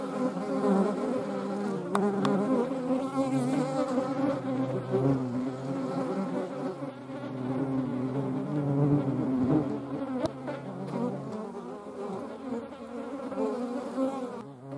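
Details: European hornets buzzing alongside median wasps: a continuous low, rich drone with wavering pitch and a few sharp clicks, holding for around fifteen seconds.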